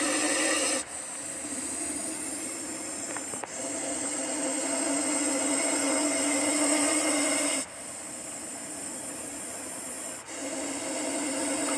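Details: Long sustained hissing from a Russell's viper, exhaled in drawn-out bursts of roughly three to four seconds separated by brief silent intakes of breath.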